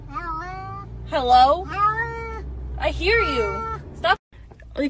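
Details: Domestic cat from a funny pet compilation giving a run of drawn-out meows, five or six in about four seconds, some rising then falling in pitch, others wavering, ending in a short clipped cry; a low background hum underneath.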